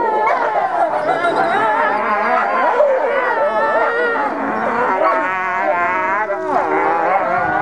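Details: Several ambassador gray wolves vocalize together during dominance interactions, December 15, 2008. A dense chorus of quavering whines and yodelling howls, pitches sliding up and down, with a harsher low rumble running under the tangle of voices.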